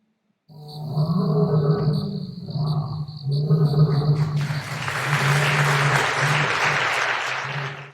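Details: A lion (Panthera leo) roars in deep, throaty bursts, followed by a long wash of applause.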